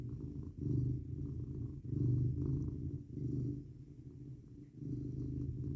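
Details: Domestic cat purring while cuddled up in bed at night, 19 degrees F outside; low, steady rumbling purr pulsing in rhythmic swells roughly every one to one and a half seconds, following its breathing, in a quiet indoor room.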